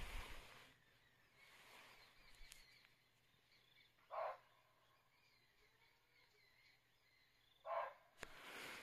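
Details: Barking deer giving an alarm call close by in Uttarakhand forest, taken to mean a leopard is nearby: two short, sharp barks about three and a half seconds apart over quiet background noise.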